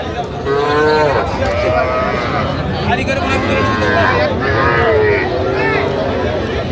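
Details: Small bull and heifer calves offered for sale at a Jamalpur cattle market, Bangladesh, 25 October 2025: several short, wavering lowing calls in quick succession, half-buried under men's voices haggling over prices.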